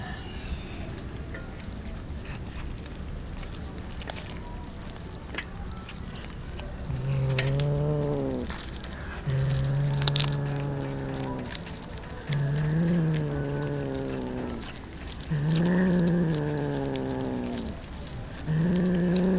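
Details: Many poor street cats feeding on raw fish; after a quiet start, low, wavering, moaning meows sound about every two to three seconds, five in a row, with faint background noise.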